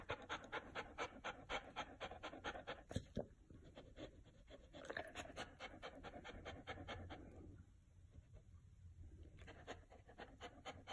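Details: Chow Chow panting on a very hot day, a fluffy dog cooling down with a big ice block; rapid rhythmic breathy pants, about two per second, pausing briefly midway before resuming.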